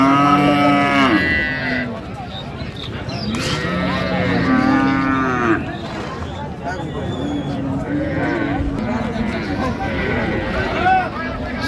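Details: Sahiwal cows with calves low repeatedly at the Raniganj cattle market, Dinajpur, 27 November 2025; several drawn-out moos, some rising then falling, follow one another amid crowd chatter and market bustle.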